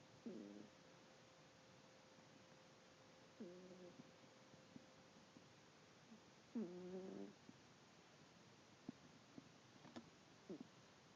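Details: Snoring from Sylvester, a sleeping house cat: brief reedy snorts recur about every three seconds, with a faint steady tone in the room and a few light ticks between breaths.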